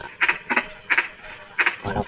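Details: Four quick double croaks from frogs at night in drizzling rain, followed by a lower, buzzier note, all over a persistent shrill insect hum.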